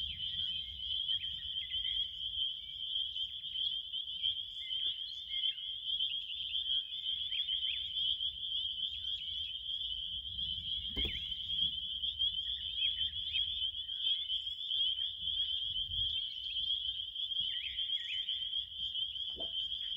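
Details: Crickets in a steady, relaxing night chorus: a continuous high shrill trill that holds one pitch without pause, with faint scattered clicks and soft low rumble beneath.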